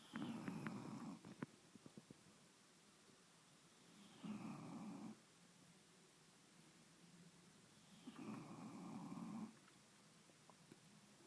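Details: English bulldog sleeping snuggled on a bed indoors, snoring: rough, rasping breaths lasting about a second, recurring roughly every four seconds, with quiet pauses between.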